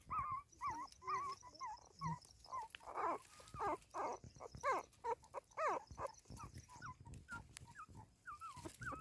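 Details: Newborn puppies with their recently whelped mother, giving soft high whimpers and squeaky yelps in short wavering bursts, roughly one per second, over a faint steady background hiss.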